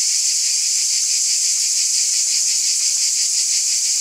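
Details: Constant high-pitched buzzing of a cicada chorus at night in summer, a thick hiss with soft pulsations roughly twice a second, no other animals or noises.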